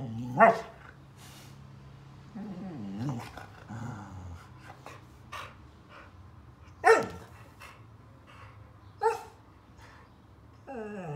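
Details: Phoenix, a Border Collie celebrating his fourth birthday indoors, overwhelmed by a present: low grumbling whines, a few sharp barks spaced seconds apart and a final rising whine, plus quiet crinkling and rustling.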